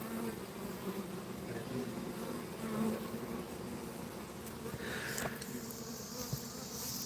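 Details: Bees buzzing during a backyard bee extraction: a steady low hum of many bees with faint background noise and a brief higher sound near the end, possibly the screech of a red-tailed hawk heard nearby.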